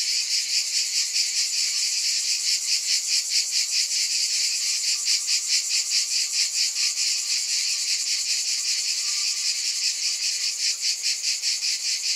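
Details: Continuous shrill buzzing of cicadas, pulsing rhythmically a little over twice a second, with a faint steady mid-pitched tone running underneath.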